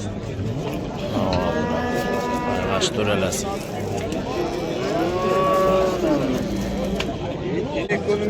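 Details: Large bulls for sale at the Oqtepa cattle market in Oltinko'l, Andijan, Uzbekistan: long, loud, arching moos, one after another, over a low rumble with faint voices and passing vehicles.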